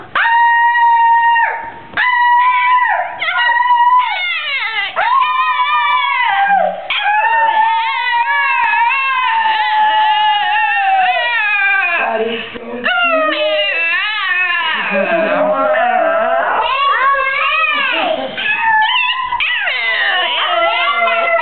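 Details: Patches, a female pet dog, howls along in a long, near-continuous vocal performance, described as singing. Her wavering howls glide up and down in pitch and break into short yelps and bends, filling about twenty seconds.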